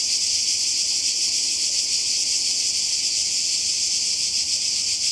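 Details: Croatian seaside cicadas in summer 2020 fill the air with an unbroken shrill buzz, evenly loud and finely pulsed, with nothing else standing out.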